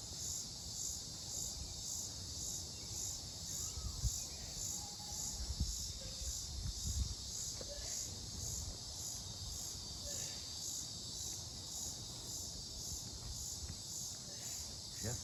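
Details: Unknown insects recorded 18 July 2025 in Mankato, Minnesota, suspected cicadas: a persistent shrill pulsing buzz, with scattered faint chirps, clicks and low rumbling noise below.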